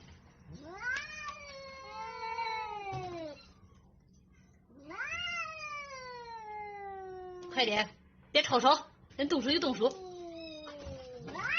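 Two long, quavering yowls from a domestic cat rise sharply and then sag downward, each lasting about three seconds. Rough, explosive hisses and spits follow in quick bursts, the sounds of an aggressive cat ready to attack.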